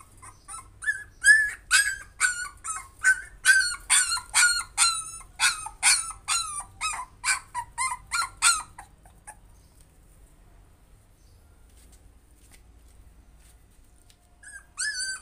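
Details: Puppy trying to overcome its fear, giving a rapid series of high, whining yelps with harmonics, about two a second, for roughly nine seconds, then quiet before one more whine near the end.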